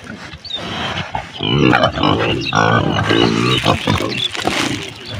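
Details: Pigs on a village farm in Bangladesh: low, harmonic grunting in two drawn-out bursts over about three seconds, mixed with harsher noises and faint background voices.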